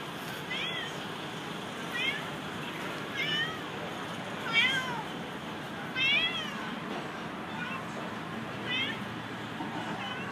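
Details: Pregnant orange domestic cat meowing steadily: about eight clear, rising-then-falling wavering meows, spaced roughly every one to one and a half seconds, over a constant low background hum.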